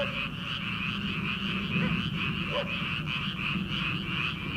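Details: Frogs calling from rice paddies in early summer, before rice planting: a dense, unbroken chorus of rattling, pulsed croaks that overlap into a steady shimmering wall of sound, with no single caller standing out.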